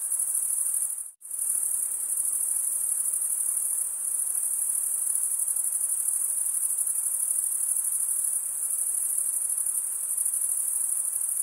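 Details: Summer-night forest crickets keep up a steady high shimmering trill, rapidly pulsed, broken by one brief complete drop-out near the one-second mark before the chorus resumes unchanged, with a soft low hiss beneath.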